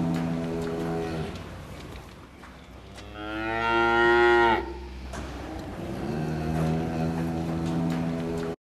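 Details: Cows with calves on a farm around milking time: a low lowing moo at the start, then a loud, strongly harmonic moo of about two seconds, and another deep, steady moo closing the recording.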